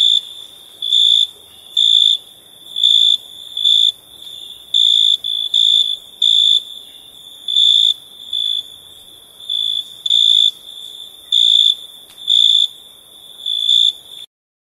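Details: Crickets chirping at night: shrill, high pulsed chirps in short bursts, about fourteen over fourteen seconds at a slightly uneven rhythm, with a faint steady hiss beneath.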